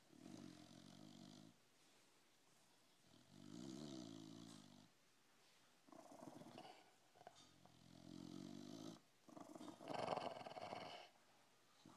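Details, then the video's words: Dog snoring steadily, with broad raspy breath bursts of about one to two seconds each, alternating with brief quieter gaps and repeating roughly every three seconds, the later breaths growing harsher and louder. "Snoring dog"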